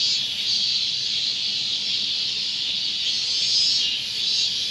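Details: At Gongenyama Bird Sanctuary on 30 August 2020, a robust cicada (minmin-zemi) sings a steady, high buzzing drone that swells slightly in intensity.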